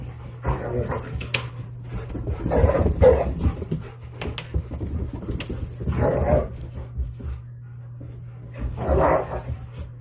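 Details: German Shepherds chasing a Dutch Shepherd up and down stairs indoors. Short, rough bark-like bursts come in irregular clusters every few seconds over a steady low hum, with a few scuffles between them.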